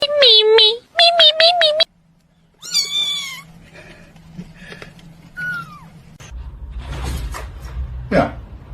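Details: A domestic cat gives a series of short, high, tonal meows, several in quick succession, followed by a longer wavering cry, then quieter mixed sounds with human speech and background noise.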